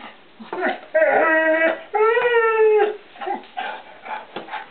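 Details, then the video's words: Ozzy, a one-year-old English Setter puppy, caught in a kitchen, "sings" for treats he knows are stored there. Two sustained, tonal whining howls of about a second each, with short yips before and after and a woman talking. "English Setter puppy sings for his supper"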